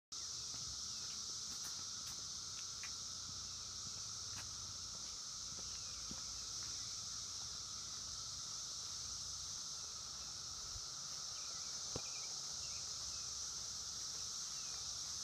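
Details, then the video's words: A massed chorus of 17-year periodical cicadas in Columbia Station, Ohio, June 2016, a steady, unbroken high droning roar heard all day and all night. "Chorus of the 17yr Cicadas"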